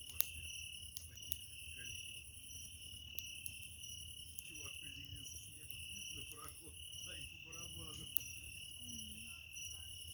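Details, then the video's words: Cricket beside a crackling campfire on 27 July 2024: an unbroken, steady, high-pitched ringing trill fills the whole recording, while burning wood snaps and pops now and then and soft low murmurs sit underneath. "Костер,треск дров,звуки сверчка"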